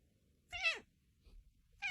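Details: Domestic cat in a funny cat compilation giving a quick falling meow, then a brief faint sound and the start of a second meow, in a quiet room.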